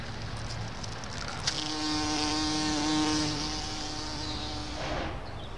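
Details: Bumblebee visiting Solomon's Seal flowers in a small garden on 29 May 2014; a steady, droning buzz rich in overtones swells over about three seconds, then fades away as the bee moves off, with faint bird chirps behind.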